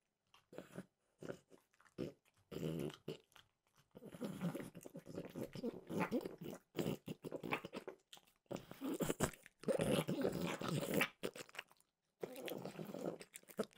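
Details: French bulldog Mimosa snacking on peanut butter flavored Trader Joe's dog treats: loud, crisp crunching bursts in irregular runs of bites, broken by short silent pauses between mouthfuls.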